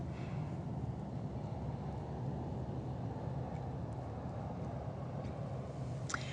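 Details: Steady low rumbling noise on a night beach walk, like distant traffic or engine hum, with a faint click near the end and no animal calls.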